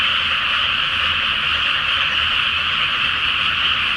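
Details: Night chorus of frogs in a Japanese rice field flooded before transplanting, under the full moon; a thick, constant blend of rapid croaks sustains a bright buzzing roar, with a faint low-pitched throb in the background.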